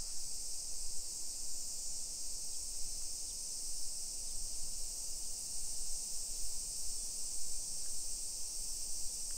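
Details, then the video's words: Summer cicadas in a hillside residential suburb of Nisshin, near Nagoya, Aichi Prefecture, Japan, at 1 PM on 28 July 2021: a continuous, steady high-pitched hiss-like drone with no breaks, over low rumbling street and walking noise. "Summer Cicadas Sounds"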